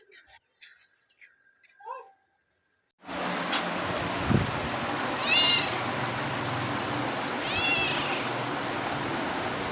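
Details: Domestic cat meowing: after a few seconds of soft, scattered sounds, two high, arching, harmonic meows come about three seconds apart over a steady, loud noisy background.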